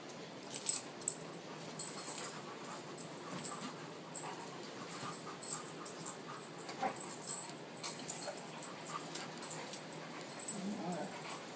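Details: Tamaskan Dog at play, giving soft scattered whimpers, grunts and yips over about twelve seconds, with brief scuffling bursts between the calls and a steady low background hiss.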